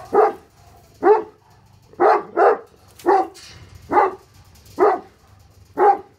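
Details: Two Tornjak shepherd dogs, Hattori Hanzo and Leksi, guarding against an intruder, give steady, forceful barks roughly once a second, sometimes doubled, over a faint low hum.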